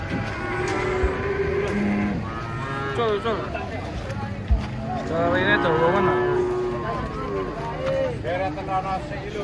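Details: Giant cattle being unloaded from a truck, giving several long harmonic moos that rise and fall, some arched and wavering. Talking voices and a low engine rumble run underneath.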